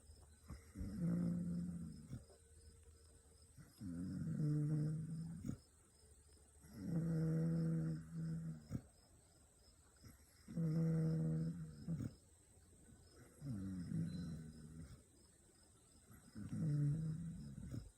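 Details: Fourteen-week-old Kangal puppy asleep in a room full of dogs, snoring in steady low rumbling breaths roughly every three to four seconds, each lasting about a second and a half, with quiet pauses between.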